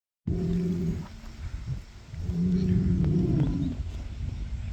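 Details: Rubia Gallega cow rejoining the herd during a readjustment of the hierarchy; two deep, roaring bellows, the second longer and rising slightly, with rough low tone and steady background noise.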